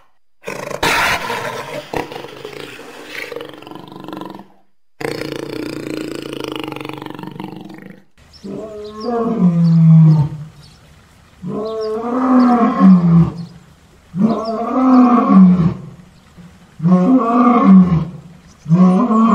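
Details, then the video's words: Jaguar roaring: after a muffled, noisy opening, a run of deep, rough grunting roars comes in bursts about every two and a half seconds. Each burst is harsh and throaty. "Rugissement de Jaguar - Jaguar Roar"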